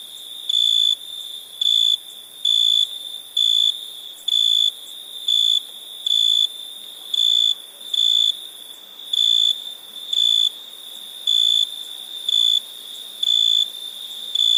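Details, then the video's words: Cricket chirping at night: loud, high, steady-pitched buzzy bursts repeat about once a second over a constant background trill at the same pitch from other crickets. "Night ambience cricket sounds"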